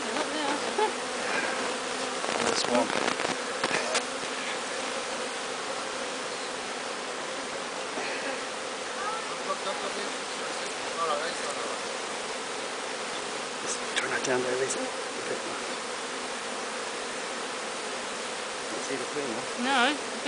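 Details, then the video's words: Honeybee swarm, captured from the top of a large tree, being walked into a new hive; dense steady buzzing hum throughout with people talking quietly about finding the queen. "Hiving a Bee Swarm"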